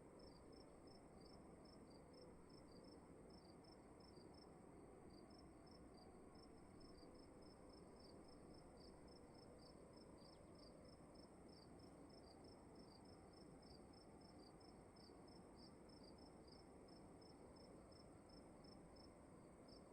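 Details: Cricket calling in a dark room at night, faint high chirps in a long, nearly steady series of short pulses over a constant low hum.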